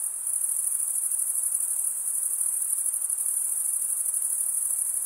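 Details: A dense, continuous cricket chorus: a thin, piercing high trill with a slight rapid flutter, running without pause over a quiet hiss.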